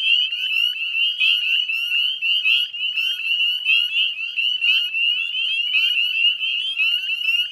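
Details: Wild Northern Spring Peeper chorus recorded at 9:08 p.m. on 18 May 2020 near the Chezzetcook salt marsh, Nova Scotia, Canada; many frogs give sharp rising peeps so densely that they merge into a steady, shrill ringing.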